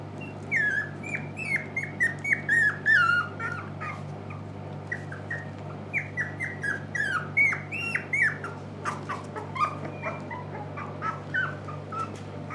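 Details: Shiba Inu or Samoyed puppies at a breeder in the Netherlands, awake longer, recorded indoors on 6 November 2018: many high squeaky whines and yelps, overlapping and chirping in quick bursts over a steady low hum.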